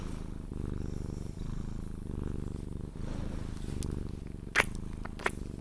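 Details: Cuddled Sphynx cat purring until it falls asleep, a deep continuous rumble rising and falling with each breath, with a couple of crisp kiss sounds near the end.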